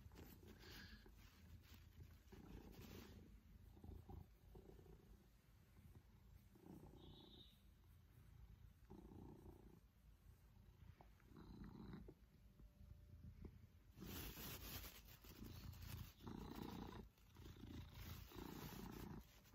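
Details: Pippin, an affectionate male Maine Coon happy with one-to-one attention during a cuddle, purrs in low rumbling bursts that rise and fall with his breathing, broken by rustling and handling noise near the end.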